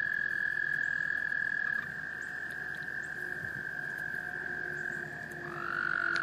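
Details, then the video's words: Several male American toads trilling to call in females at a small breeding pond in Laurens County, South Carolina, USA, March 2014; long, drawn-out trills overlap and hand off, with a faint lower tone and a new trill swelling at the end. "American toads, Breeding behavior"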